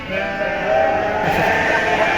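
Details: Loud, drawn-out bleat from sheep, a quavering, harmonic cry that holds steady for about two seconds over a constant low rumble of background noise.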